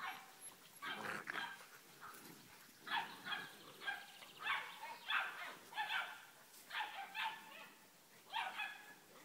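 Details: Young Dogue de Bordeaux puppies in August 2013 yipping in rapid, uneven bursts; bright, high barks cluster in runs of two or three, with a faint background hiss throughout.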